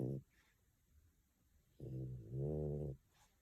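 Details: Female French Bulldog napping at home in Tokyo, eyes moving and paws twitching; a brief snort, then a long, loud, nasal snore of about a second, rising in strength midway, in a quiet room.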